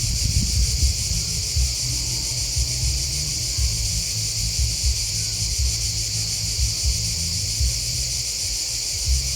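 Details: Crickets chirping in a dense, unbroken high-pitched chorus with a fine pulsing shimmer; a low, uneven rumble runs underneath throughout.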